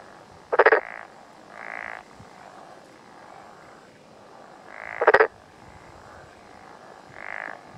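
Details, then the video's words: Black-spotted pond frog on a June morning in mountains of Yamaguchi, Japan; two sharp pulsed croaks about four and a half seconds apart, each near softer droning calls, against a quiet rural background. "鳴くトノサマガエル Pelophylax nigromaculatus"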